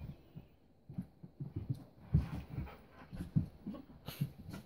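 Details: Husky Keiko, 4 years old, plays with Lucy, a 3-month-old Welsh Springer Spaniel puppy, on their first play date; quick low grunts, huffs and short growls come in irregular bursts, with light thumps of movement.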